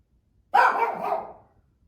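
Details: Female pet Shih Tzu indoors in a family room, possibly bored, gives one loud, slightly drawn-out bark lasting about a second, rough and mid-pitched, in a quiet room.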